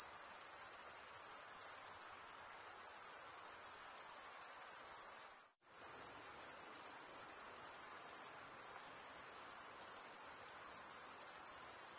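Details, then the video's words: Steady high trilling of crickets, males chirping by wing stridulation, cut by a brief silent dropout around the middle before the same even ringing resumes. "Most relaxing cricket sound"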